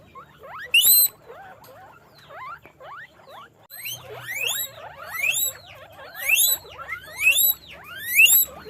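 Guinea pigs give loud, rising squeaks, repeated in quick rhythmic bursts over softer chattering.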